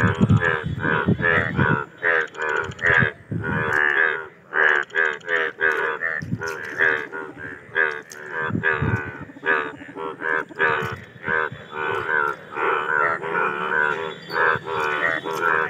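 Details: Mating chorus of Indian bullfrogs: dense, overlapping, nasal, lowing croaks repeated in quick succession by many frogs at once, forming an almost continuous din with brief gaps.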